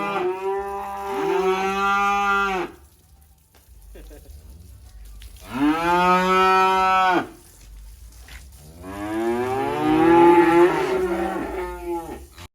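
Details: Black kurban cow being unloaded from a truck at a rural pen in Indonesia, lowing loudly: three long, rich harmonic moos of about two to three seconds each, separated by quiet pauses, the last rougher and wavering.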